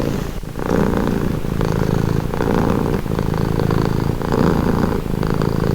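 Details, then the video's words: A cat purrs for calm and relaxation, the low vibrating drone starting after a brief dip, then rolling on in regular swells about every second and a half. "Purring cat"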